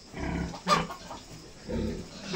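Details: Sow being artificially inseminated, giving two low, rough grunting bursts about a second apart, with a brief sharp noise between them and faint background rustling.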